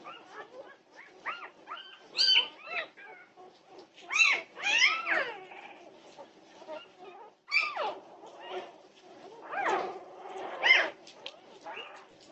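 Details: Norwegian Buhund puppies in the middle of the night, 2:30 am, June 8, 2021: bent, squealing whimpers and sharp high yelps come in clustered bursts roughly every two seconds amid steady softer whining.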